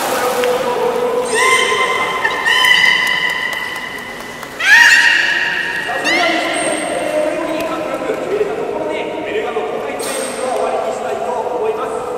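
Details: Belugas at Port of Nagoya Public Aquarium during a 13:30 public training session on 18 July 2016: long, harmonic-rich tonal calls that hold steady, some gliding slightly upward, repeating through the span, with crowd chatter in a large hall.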